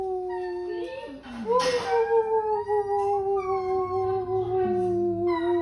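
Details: Basset Hound howling indoors, a long sustained wavering tone with rich harmonics that dips and rises, with a brief noisy burst midway and a lower second voice joining near the end.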